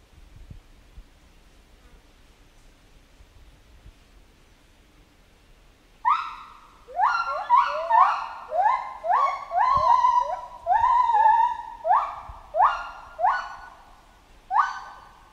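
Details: Chimpanzee in a jungle: after six seconds of quiet, a run of loud, harmonic, sharply rising hoots and screams, about one or two each second, with some overlapping in a noisy middle stretch.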